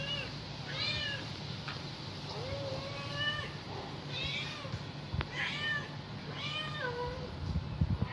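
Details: Kitten calling its mother with a run of high, rising-then-falling mews, about eight in eight seconds, some thin and squeaky, others drawn out, over a steady low hum and faint background noise.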